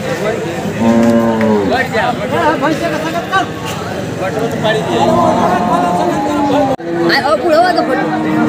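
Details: At a livestock market, a water buffalo calves in hard conditions; two drawn-out, harmonic moos rise out of loud human chatter and shouting around the animal.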